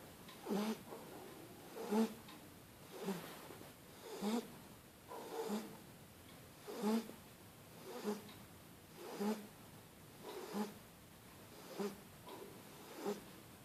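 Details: Sleeping Shar Pei puppy on a blanket, snoring steadily; soft raspy snorts repeat roughly every 1.2 seconds through the stretch, with gentle breathy hiss between them.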